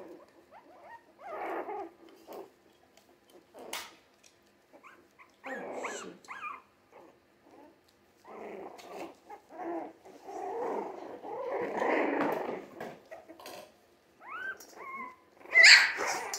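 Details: A litter of three-week-old Jack Russell Terrier mix puppies makes low, rough growling grumbles and muffled whines in broken bursts, building to a longer scuffling stretch and ending with a sharp high squeal.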